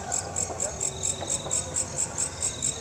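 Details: Walang kekek katydid calling from a yard fence at a house: a high, sharp ticking chirp repeated steadily about four times a second over a faint low hum.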